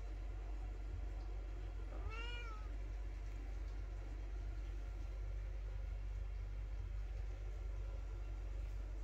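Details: Mother cat, displeased, meowing at home while her kittens are slowly introduced to a dog; one short, clear meow about two seconds in, rising then falling, over a steady low hum.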